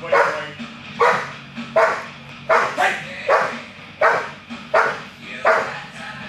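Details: A 21-month-old male American Bulldog barks during Schutzhund protection training on 7 October 2011. Eight loud, rough barks come at steady intervals of about one second, with a low background hum.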